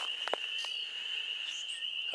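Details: A pond frog chorus at sundown in their breeding area: a steady, high, shrill trilling drone with a few brief knocks, as the frogs sing for their mates.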